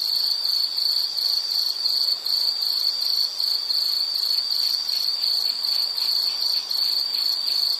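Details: High insect trill pulsing in quick, even bursts with brief dips in loudness, a dense ringing chorus and nothing else prominent.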